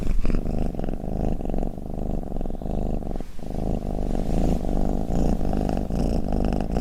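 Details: Domestic cat purring and snoring: a low, continuous rumble of rapid pulses held for nearly seven seconds, broken by one short pause just past the third second, with no other sounds.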